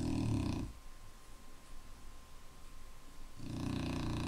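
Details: Indoor snoring from a sleeping Clumber Spaniel: a harsh low snore ends, about three seconds of near-silence with a faint hum, then another loud rumbling snore starts.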